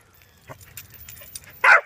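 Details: During outdoor stay and recall practice, a Corgi lets out one loud short bark near the end after quiet shuffling and faint clicks.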